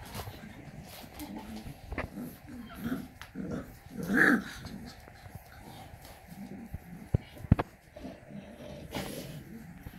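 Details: Shar Pei mother with her puppies: low rumbling grunts and soft growls throughout, broken midway by one short whining yelp, with a few sharp knocks nearby.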